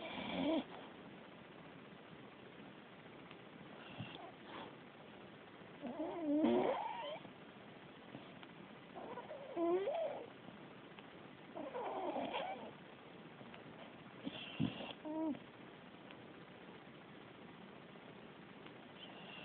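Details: A sleeping pet Beagle snores in a rhythmic series of breaths, each a short, wheezy, slightly whistling rasp that recurs about every three seconds, with quiet stretches between them and no other clear sounds.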